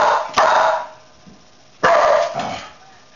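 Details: Two loud, rough dog barks about one and a half seconds apart, each trailing off into a softer tail, with quiet in between.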